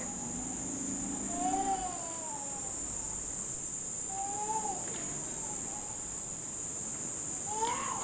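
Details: Summer's first cicadas at a house in Nishinomiya, Japan, late in the rainy season: an even, shrill buzzing drone fills the background without pause, broken by a few short infant wails and brief knocks.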